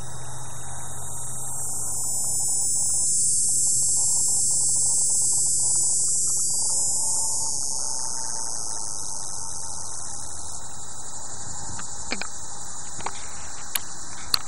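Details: A cicada, one of the 18-year kind, makes a steady, high, hissing drone by flapping its wings, unbroken throughout, on a cool summer day in Oswego, Illinois.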